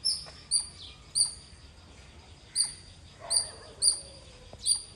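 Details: Squirrel giving seven spaced-out, piercing high chirps over five seconds at irregular intervals, with quiet gaps and faint background noise in between.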